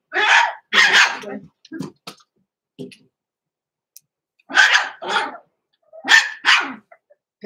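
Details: Blenheim Cavalier King Charles Spaniel puppies aged six weeks in a home puppy pen, named Roman and Blue, from a small litter. Sharp, harsh barks come in pairs, with quiet gaps and faint yips between bursts.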